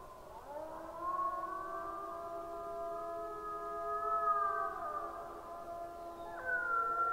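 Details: A gray wolf (Canis lupus) pack on a camera recording at 23:21 on 26 April 2022 gives a chorus howl, several long smooth tones overlapping and sliding at different pitches.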